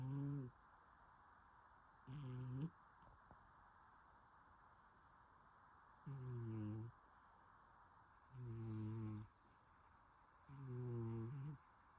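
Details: Snoring from a sleeping domestic cat: five low, throaty, rasping breaths, each about half a second to a second long, repeating about every two seconds in a steady rhythm against near silence.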